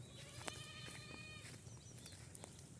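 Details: Farm-kept goat, fed on fresh green fodder, lets out a long, steady, trembling bleat lasting about a second and a half, with a loud click near the start and scattered knocks afterward.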